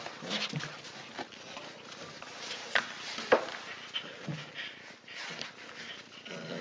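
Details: Husky puppies tugging on a monkey toy in a tug-of-war game indoors; low rasping growls come in irregular short bursts amid scuffling, toy rustle and a couple of sharp clicks.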